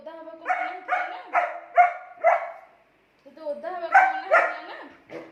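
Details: German Shepherd named Angel arguing with its owner: rapid, strained barks mixed with rising whiny moans in a talking-like sequence, a brief pause, then another burst of moaning barks.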